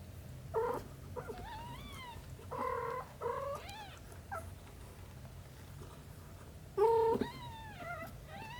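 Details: Cat Shin tending aunt Camel's kittens, a mother cat's nurturing care. Short, loud, buzzy chirping calls alternate with thinner mews whose pitch rises and falls, in bursts spread over several seconds, with a steady low hum behind.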